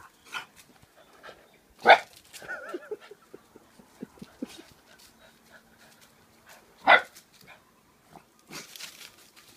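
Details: Two pet dogs playing, a 9-week-old Bullmastiff puppy named Thanos and a 1-year-old French Bulldog named Saka: two loud, sharp barks about five seconds apart, with softer scuffling and small yelps between them.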